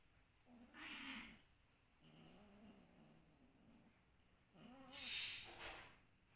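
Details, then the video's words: Cat giving two short, bending meows about four seconds apart, each rising then falling, with a softer low murmuring sound between them and bursts of hissy background noise. "Kucing lagi meong meong"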